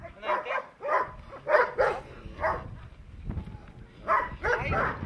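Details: Presa Canario in protection training giving bursts of heavy barks in two clusters separated by a quieter gap, with a person's voice heard faintly between them.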